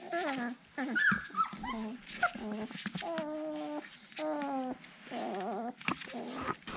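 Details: Siberian Husky puppies unable to find their mother, uttering repeated low, wavering, nasal moans and brief high squeaks, with a steady hiss in the background.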